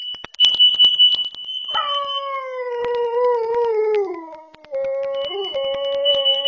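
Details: A dog at home vocalising while a carbon monoxide sensor goes off: a high steady electronic alarm tone, then a long mournful howl sliding slowly downward with rich harmonics, breaking into a shorter wavering howl as the alarm resumes.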